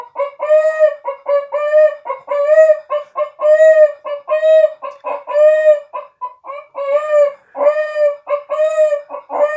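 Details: A Miniature Pinscher cries in distress after its owner leaves for the grocery store, with a rapid run of short, clucking, nasal mid-pitched howls in quick bursts several times a second, almost hen-like.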